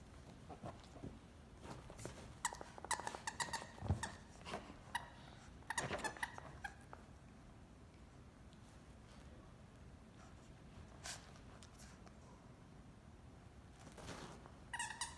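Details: A fawn, black-masked Pekingese puppy playing tug of war over a toy duck with his Yorkie-mix brother gives brief squeaky yips and soft playful growls amid rustling and scuffling.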